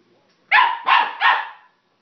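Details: Young dog Sun going wild over plastic bottles, three quick high-pitched barks running together after a short silence, the last one drawn out and fading.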